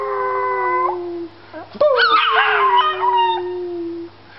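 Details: Puppy howling, a long steady tone sliding slightly downward for about a second, then a brief break and a second higher, wavering howl that rises and falls before fading.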